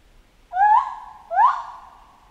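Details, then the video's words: Chimpanzee giving two rising, voiced hoots about three-quarters of a second apart, each sliding upward and trailing off into a sustained tone. "Monkey Ape Sound Effect Chimp Jungle"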